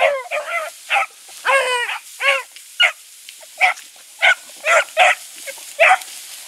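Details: Young dogs Sassy and Magnum training with Ringo and Boone give a string of short yelping cries and a few brief wavering howls against a steady hiss of background noise.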